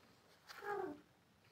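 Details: Kittens playing with bangles indoors give a single short, faint meow that slides downward in pitch over about half a second, in an otherwise quiet room.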